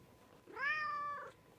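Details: A household cat's short meow, under a second long, opening with a quick upward slide, then a level bright tone before tapering off softly; no other sounds stand out.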